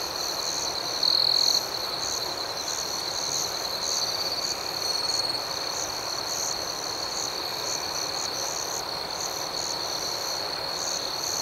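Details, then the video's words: Crickets chirping at night, a steady high-pitched trill running throughout with rapid pulsed chirps layered above it, a few seconds of brighter, louder tone near the start, and no other sounds. "Soothing Cricket Sounds"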